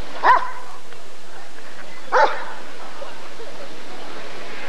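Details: Rottweiler at the 1994 ADRK Körung breed survey gives two sharp, loud barks about two seconds apart, each a short harmonic burst, over a faint hum of background noise.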